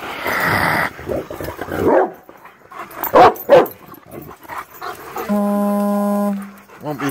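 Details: A greyhound attacks a screen featuring Rottweilers King and Prince Moose and German Shepherd Glacier. It gives harsh, noisy bursts of barking and growling. A steady electronic tone follows, and a short whine comes at the end.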